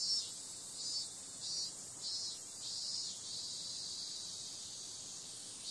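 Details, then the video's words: Shrill nocturnal cicada buzzing in summer, pulsing in quick throbs for the first few seconds, then flattening into a smooth, sustained high hiss. "Cicada sound"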